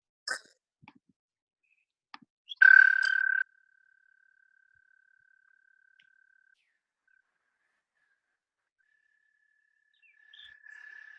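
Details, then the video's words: Eastern American toad giving a long, steady, musical trill on one high pitch; this toad is mostly terrestrial and goes to water only to breed. "the toad has a very musical trill call, and they are mostly terrestrial."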